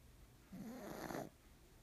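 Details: Black pug named Nimame snoring loudly indoors; one rough snore lasting under a second, with a wavering low buzz rising into a broader rasp, quiet room around it.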